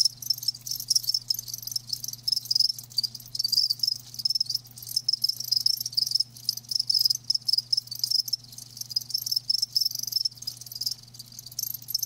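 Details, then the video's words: Chorus of live crickets: thin, piercing pulsed chirps stacked densely so the trill barely pauses, with slight swells in loudness and a faint steady low hum beneath. "Live Crickets 60min "Natural Sound""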